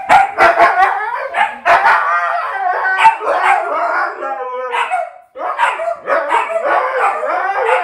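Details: Siberian huskies excitedly vocalizing as dad arrives home, a young husky learning from an older one; dense overlapping howls, yips and woofs with wavering harmonic tones, brief pause midway then renewed chorus.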